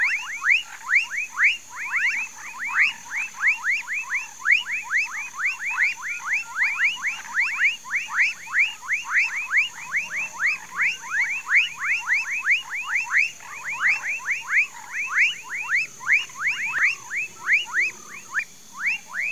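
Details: A dense frog chorus in a Mauritia flexuosa palm swamp in Pedro Gomes, Mato Grosso do Sul, Brazil: quick, downward-sliding chirps repeated nonstop by many overlapping voices.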